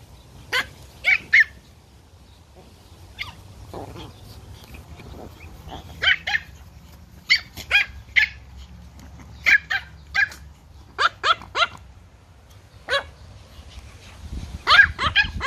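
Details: Pomeranian puppies, toy Poms, playing in a garden: short sharp high barks and yaps in scattered bursts, some doubled or tripled, with quiet gaps between and a low steady background hum.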